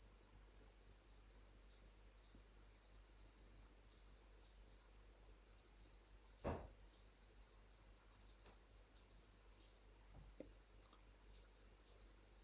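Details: Cicadas in New Zealand in late summer, heard as the backdrop to a meditation: a steady, unbroken high-pitched shimmering buzz that holds even throughout, with two brief soft knocks near the middle and end.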